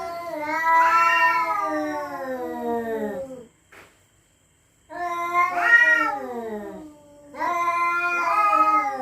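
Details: Resident cat yowling threateningly at night in a territorial standoff. Three long, quavering howls are separated by short silences. Each swells and wavers around a peak, then droops downward in pitch, creating a haunting, frightening wail.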